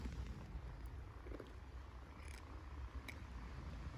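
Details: Stray kitten in Istanbul, one of several hungry, energetic kittens wanting food, purring: a low, steady rumbling purr that fills the whole stretch, with a few faint clicks and rustles above it.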